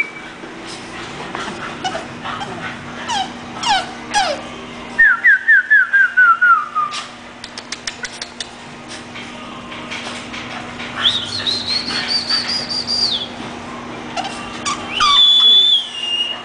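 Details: English bulldog named Hermione whimpering indoors: thin high whines sliding downward in quick repeated series, then longer drawn-out whines that rise and hold before dipping, with scattered clicks and handling noise and a steady low hum throughout.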